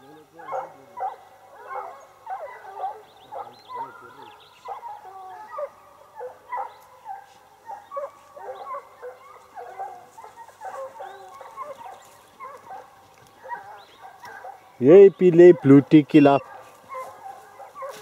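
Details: Sparks hounds chopping out rapid, short barks in a steady stream, several voices overlapping, before a sudden burst of loud, harsh barks near the end.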